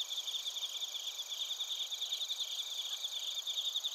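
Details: Narita, Chiba Prefecture, Japan: bell crickets and crickets, TASCAM Portacapture X8 recording, giving bright rhythmic chirps in quick regular pulses over a constant high insect drone, with no other animals or noise.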